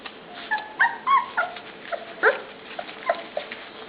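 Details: Pups kept in their pen at mealtime give a run of short, squeaky yips and whimpers, some bending up then down in pitch, roughly three per second, over faint rustling in the background.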